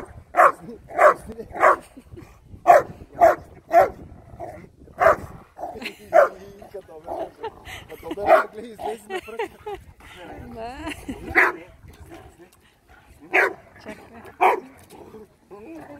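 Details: Labrador Retrievers, a pair, recorded 23 May 2020; bursts of short barks in quick runs, then scattered single barks, mixed with human speech throughout.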